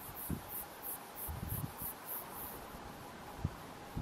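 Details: Neocallicrania barrosi bush-cricket, male feeding on Ulex australis seeds at Marinha Grande, Portugal, 29 May 2021, with several males singing nearby; faint, very high hissing pulses repeat roughly every third of a second over low rumbling background noise.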